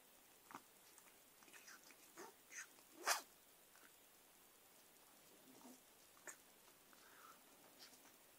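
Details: Margot, a Persian cat, snorts and sniffles while attacking pen and paper indoors: short, breathy bursts scattered over eight seconds, one sharp louder puff near the middle, with faint scratching and rustling between them.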